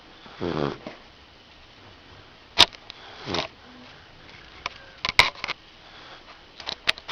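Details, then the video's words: A Rottweiler puppy asleep indoors breathes with soft, breathy snores, broad noisy rushes about every two to three seconds, mixed with sharp clicks and faint sniffs. "Puppy Rottweiler sleeping and snoring"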